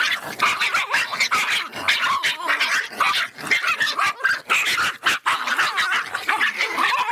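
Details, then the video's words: Feisty, agitated Miniature Pinscher barking without pause: dense, sharp, high yaps running into one another, with rough growly edges and barely any gap between bursts. "som latidos de pinscher miniatura bravinho"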